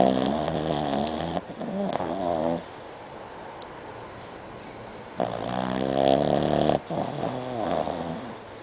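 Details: Betty, a Boston Terrier, snoring loudly while asleep indoors, recorded without enhancement: long, rasping, harmonic-rich snores alternating with quieter breathy stretches, roughly one full cycle every few seconds.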